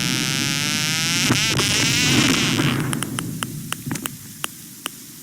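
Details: A sperm whale gives sharp, dry echolocation clicks, about 40 kHz bursts used in hunting that speed up as it closes on a target, ticking in a loose series after a wash of wavering underwater noise.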